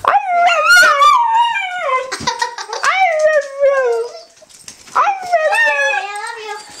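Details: Pet dog coaxed by its owner into saying "I love you": strong harmonic howls sliding up then falling, in drawn-out phrases with brief yips, a pause near the middle, then another long descending howl.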